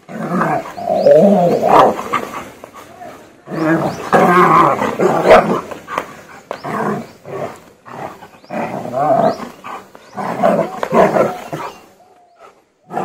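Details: German Shepherd trained for aggression barking and growling loudly in long rough volleys, about six bouts over thirteen seconds with short gaps between them.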